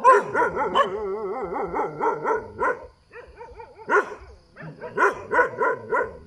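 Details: Roadside dog giving rapid, wavering yelping barks in quick succession, with brief gaps and a short quiet dip midway before another run of barks.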